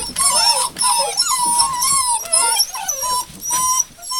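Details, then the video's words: Rosebud's hound puppies, recorded 02/08/12: a litter whining together in thin, wavering squeals, several voices overlapping with rising and falling slides and short breaks between bursts. "Rosebud - Puppies"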